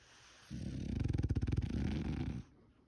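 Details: Loud snore from a male French Bulldog, a single two-second rasping, fluttering rumble with a rapid vibrating pulse through its middle.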